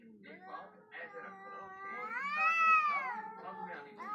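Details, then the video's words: Two wild cats facing each other in a confrontation: long wavering yowls that rise and fall, swelling to a loud arched wail in the middle, with lower moaning growls beneath. "When wild cats face each other"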